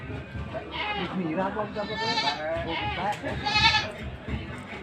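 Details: Goats at the animal market in Sumpiuh, Banyumas, Central Java, on 20 December 2025, where male goats are offered for sale: two quavering bleats rise out of dense chatter and bargaining voices.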